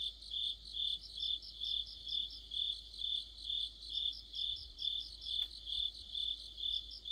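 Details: Crickets and companion insects chorusing in autumn, a rhythmic high-pitched chirp pulsing about twice per second with brief rapid ticks above, and one sharp click partway through.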